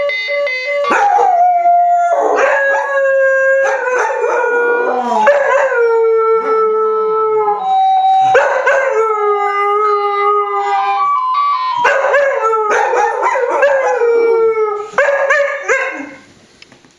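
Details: Two dogs, the smaller 8 months old and the bigger nearly 18 months, howl when the phone rings, in long, wavering tones that slide up and down and overlap one another; finding: Dog.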